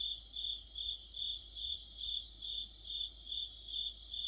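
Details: Crickets in an autumn chorus give a sustained high-pitched trill that pulses steadily about twice a second. A second caller adds quick higher chirps in the middle, with faint low rumble beneath.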